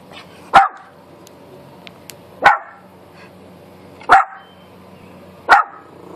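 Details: Xena, a Miniature Pinscher with her hair sticking up, barks at a neighbor: four sharp, loud single barks spaced about two seconds apart, with a faint low hum and a few soft clicks between them.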